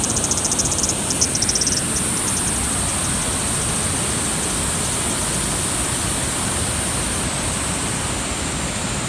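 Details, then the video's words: At Sogi Falls in Kagoshima, Japan, at 12:49 in July, a Kaempfer cicada gives a thin, very high, unbroken buzzing song over a steady background hiss. "ニイニイゼミ"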